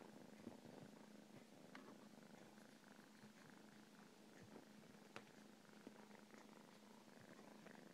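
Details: Steady low hum of a purring cat, even and unbroken for eight seconds, with a few sharp clicks scattered through it.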